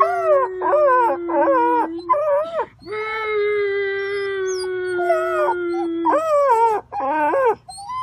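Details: Puppy yelping in quick rising-and-falling wails, then holding one long, even howl for about three seconds before returning to short, wavering yelps.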